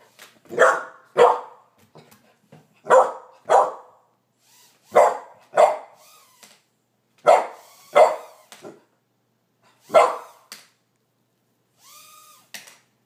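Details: Puppies Karma and Skye bark as they discover a toy helicopter drone: sharp, loud barks, mostly in quick pairs, about nine strong ones over thirteen seconds with quieter yips between, and a faint whine near the end.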